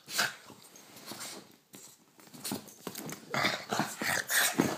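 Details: Boston terrier playing and biting a hand indoors at night; soft, scratchy growling bursts with rustling and handling noise, louder clustered bursts in the second half, and a couple of brief thin whine-like tones.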